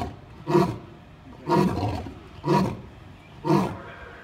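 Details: Lions roaring: four deep, rough roaring grunts, each swelling then fading, repeated about once a second in a steady series.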